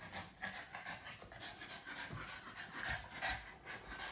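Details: Yoda, a Boston Terrier licking its owner, heard close up at low volume: soft, rhythmic rasping pants and moist licking sounds, steady throughout, with no speech.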